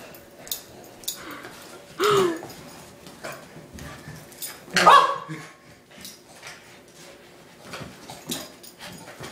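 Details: Boston Terrier playing tug-of-war with a rope, strong and unwilling to let go, now tired: short whiny vocalisations, a bent whine around two seconds and a louder sharp yelp near five seconds, with soft rustling and handling noises between.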